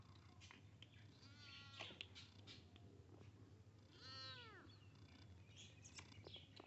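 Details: Kitten meeting a big cat: two clear arched meows about two and a half seconds apart, the second louder and fuller, amid scattered clicks and a low constant hum.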